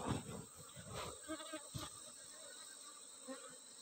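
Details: Asian honey bees (Apis cerana) in Borneo, recorded during honey taking: a low droning hum with stacked overtones that swells and fades over a few seconds, broken by short knocks and rustles of handling and a steady high electronic whine.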